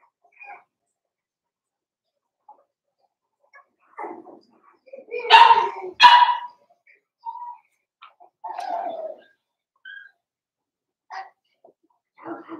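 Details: Scattered yips and whimpers from four-week-old Cavalier King Charles Spaniel puppies in a pen, mostly quiet, with two louder sharp yelps close together in the middle and softer squeaks spaced around them.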